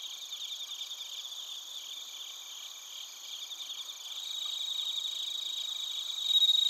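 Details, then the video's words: Crickets, including bell crickets, chirping in Narita, Chiba, Japan, recorded with a TASCAM Portacapture X8. Pulsed trilling runs at about four beats per second, getting louder toward the end, where a pure ringing note appears above sustained insect hum. "スズムシとコオロギの鳴き声 - Chirping of crickets"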